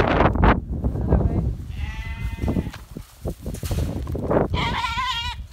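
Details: Goats being worked by a young stockdog, six months old; short wavering bleats with stacked harmonics, one near two seconds and another near five seconds, over heavy low rumbling, scuffling and handling noise.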